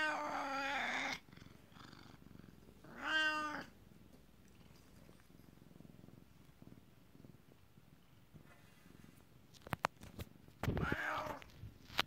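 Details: A male Siamese cat gives long, drawn-out meows that rise and fall in pitch, greeting and "talking" to his owner after she returns from work.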